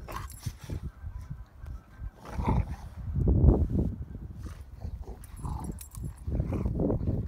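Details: Three Rottweilers at play-fighting, a rumbling low growl building and fading in waves, broken by gruff bark-like bursts and the thumps of the dogs tussling.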